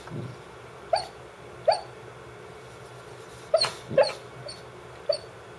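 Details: Dance, a female Brittany Spaniel who barks only while asleep, lets out short stifled woofs; about six soft yips come at irregular intervals, some in close pairs, against a faint steady background hum.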